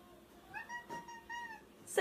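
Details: Cat indoors making a brief series of soft, even meows, one after another in about a second, followed by a sudden loud noise at the end, just after a person asks whether it is hungry.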